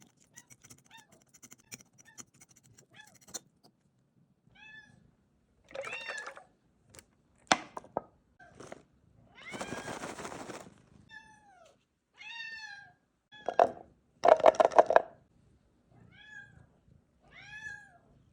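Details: Bengal kitten while eating: several short, high, arching meows scattered through the clip, mixed with loud broadband bursts of bumping and crunching.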